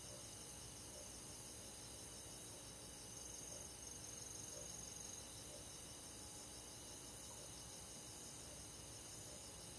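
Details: Crickets and other forest insects on a summer night in the countryside, a soft continuous chorus of high, shimmering trills with rapid pulsed chirps layered over one another, steady throughout with no other clear sounds.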